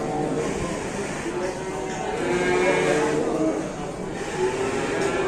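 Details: Enraged cow that will not calm down, watched by a market crowd in Indonesia, gives low, drawn-out harmonic moos, loudest mid-clip and again near the end, under steady chatter from onlookers.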